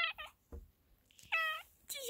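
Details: Black fluffy cat on a roof giving several short harmonic meows, a quick pair at the start, then a longer mewing call and another rising one at the end, with a person speaking softly nearby.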